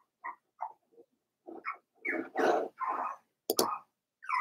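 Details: Four-week-old Cavalier King Charles Spaniel puppies in their indoor puppy pen, Daisy's litter, giving short whimpers and soft growly grunts in separate bursts, some rising and falling, with brief pauses between.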